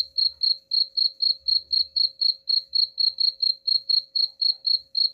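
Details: Steady cricket song meant to scare off rats: bright, high-pitched chirps pulsing evenly at about four per second, with a thin constant hum and some soft low rumbling in the background.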